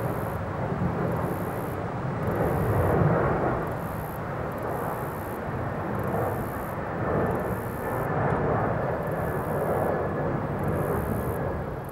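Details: A broad, rumbling engine roar, like an aircraft overhead or distant traffic, swells and fades throughout. No chirping or other animal voices stand out.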